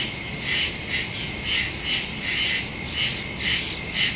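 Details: Crickets chirping in the woods at night on September 2, 2023, captured with a Shure MV88+ stereo microphone on a Samsung Galaxy S22 Ultra; high ringing chirps come in evenly spaced bursts, about two each second.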